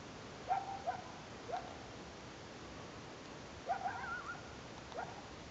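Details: Coyotes calling at the top of Mill B South near Lake Blanche in Big Cottonwood Canyon, a noise heard there every year; faint, brief wavering yelps in two clusters, first near half a second, then around four seconds, over steady background hiss.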